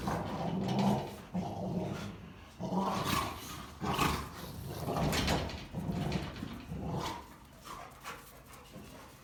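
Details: Three German Rottweilers wrestling and play-fighting indoors, making loud aggressive noises: rough, low rumbling growls in bursts of about a second, roughly once per second, with snarling surges and some scuffling between them.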